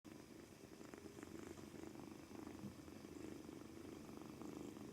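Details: Two-month-old male British Shorthair kitten purring steadily on his first day in a new home, apparently nervous; a continuous low rumbling throb with fast regular pulses, quiet indoor background.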